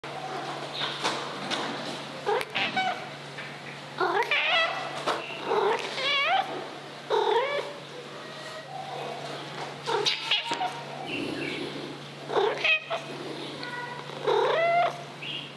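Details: A 2-year-old female Maine Coon cat, affectionate with people, strongly demanding attention and caresses: a series of short, wavering, harmonic meows and chirrups with rising-falling bends, coming in bursts every second or two, with a steady low hum underneath.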